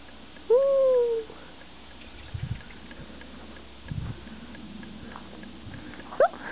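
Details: Chihuahua named Sigge playing outdoors in the snow: one drawn-out tonal whine lasting under a second, level then gently falling, then soft crunching steps in snow and a brief rising squeak near the end.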